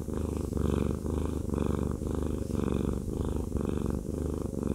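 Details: Domestic cat purring steadily while being massaged indoors; a continuous low rumbling purr pulsing about once per second, with soft rhythmic rubbing strokes.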